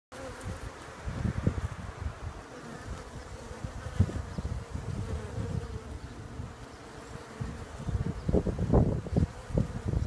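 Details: Bees humming in a steady, low droning buzz that holds one even pitch through the whole stretch, with frequent low thumps and rumbles of handling or wind noise rising and falling over it.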